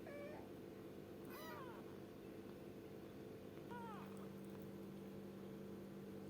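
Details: A kitten called gembul gives three thin, high meows, each a brief bent cry, spaced about a second apart, against a steady background hum.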